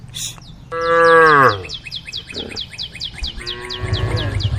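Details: Cows in a group on a road at the forest's edge, calling the herd: one strong, drawn-out moo that slides downward, then a quieter, rougher low moo, with fast repeated high chirps behind.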